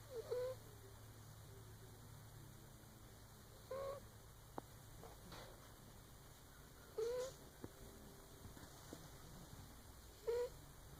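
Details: Mr Whiskers, a shop cat, snoring with short whistling squeaks that rise slightly, repeated about every three seconds, four in all, over a steady faint hum and light clicks.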